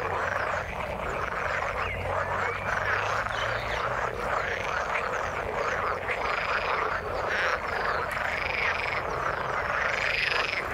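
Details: Chorus of frogs in the water, thick overlapping croaks with repeated arching trills rising and falling, constant level across the recording and a faint low hum at the start.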